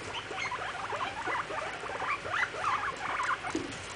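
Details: Pet guinea pigs in their cage, being dominant over each other, give a rapid run of short, high, squeaky chirps and warbling squeals, bending up and down in pitch for about four seconds, over a soft rustling background.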